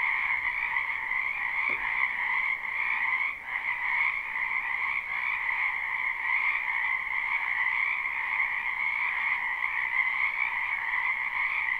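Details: Wetland frogs in spring, recorded live with no looping: a sustained chorus of overlapping trills in a high and a lower band, with a brief soft click early on and a small dip in loudness near the middle.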